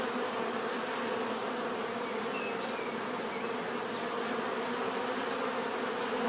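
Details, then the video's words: Continuous natural buzzing of bees, a thick layered hum holding steady without pause, with a couple of faint high chirps of another creature slipping in near the middle. "bees therapy relaxing natural buzzing sound"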